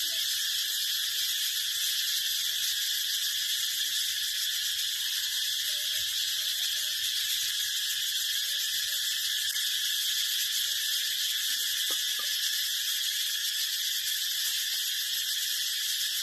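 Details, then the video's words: Brown cicada singing a long, unvarying shrill buzz, dense and hissing, kept up without a break; a few faint tonal chirps sit quietly beneath it. "Real sound's Brown Cicada"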